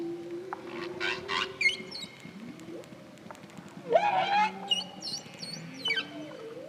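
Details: A male Hawaiian humpback whale, recorded by hydrophone singing near a boat, sings song theme 1, mixing low moans with rising, wavering cries and high squeaks.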